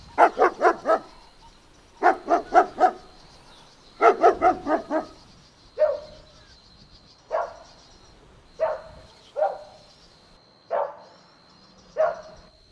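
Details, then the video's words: Golden Retriever puppies playing and running in a green meadow outdoors: short bursts of three or four quick barks, then single sharper yips spaced about a second apart, with a faint steady high tone in the background. "Adorable Golden Puppies Playing Outdoors | Relaxing Dog Sounds"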